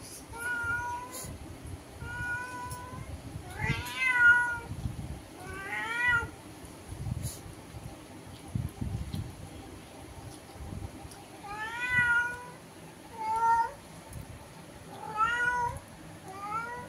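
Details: Meowing exchange through a window between a house cat and an unknown cat outside that has lingered for an hour; repeated short, rising-falling meows every one to two seconds, with soft background talking and room noise.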